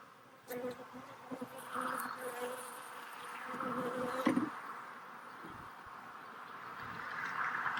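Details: Honey bees at a hive being re-queened from a split, with a new queen held in a cage. A steady, droning buzz with a low hum and a higher overtone, swelling and fading, mixed with a broad rustling hiss.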